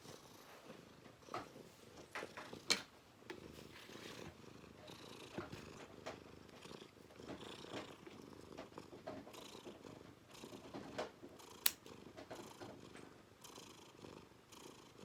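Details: Purring house cat having its claws trimmed indoors. A continuous throbbing low purr lasts the whole stretch, with occasional sharp clicks from the clippers, two of them especially crisp.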